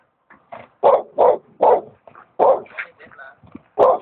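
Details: Dog barking: a quick series of about seven short, sharp, loud barks over four seconds, some closely paired, with quiet gaps between.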